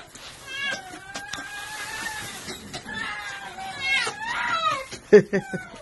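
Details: A female domestic red fox, overjoyed after missing her wolf friend, gives drawn-out, quavering whines that hold steady then dip, followed by shorter squeaky yips and a sharp knock near the end.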